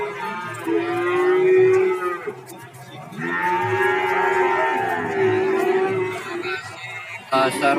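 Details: Cattle at a busy livestock market in Warujayeng, Nganjuk: two long, slightly wavering moos a second apart, then a quieter stretch with faint lowing and a sharp knocking noise near the end.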